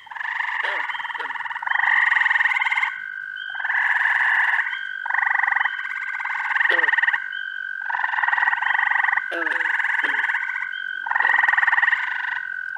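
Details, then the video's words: Early June frog chorus in upstate New York: a steady continuous tonal trill underlies repeated pulsed trilling bursts about a second long, with scattered quick downward chirps. "Frog Orchestra. Treefrogs! Toads! Peepers! Green frogs!"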